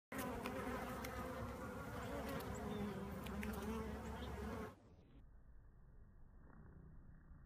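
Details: Western honey bees collecting pollen fill the air with a steady, low droning buzz that suddenly drops away.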